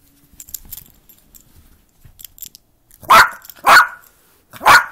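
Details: Yorkshire Terrier barking while playing indoors; soft rustles and a voice at first, then three sharp, loud, high yaps about half a second apart.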